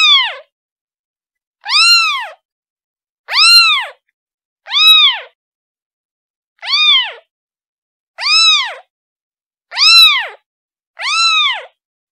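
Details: Repeated plaintive mewing from a kitten calling its mother, eight arched high-pitched meows roughly every one and a half seconds, steady and insistent against a silent background.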